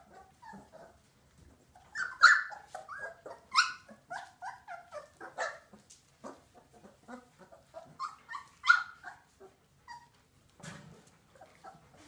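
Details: Old English Sheepdog puppies yapping in quick, irregular bursts of short, high, squeaky barks and yelps, with louder clusters around two, four and nine seconds and soft whimpering notes in the gaps.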